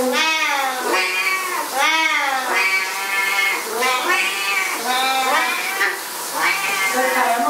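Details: Two Siamese cats going berserk while their owner showers, yowling loudly in long, wavering meows that rise and fall, one after another almost without pause through the clip.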